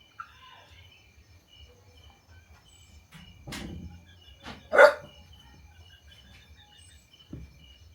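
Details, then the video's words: Puppies barking at strangers after hearing strange noises: a few short, sharp barks in the middle, the loudest near five seconds, over steady high-pitched insect or bird tones and a low background hum. "Puppies bark at strangers when they hear strange noises"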